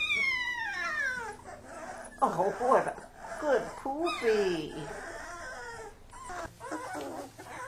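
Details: Kuvasz puppies wrestling while their father supervises; high sliding whines and yelps falling in pitch, overlapping with scuffling and a human voice.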